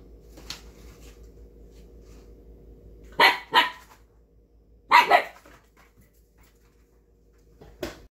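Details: Indoor barking from Kai, a red Siberian Husky puppy fighting to get a bag of snacks: two paired bursts of short, loud barks around three and five seconds, with a faint yip at the start and another at the end.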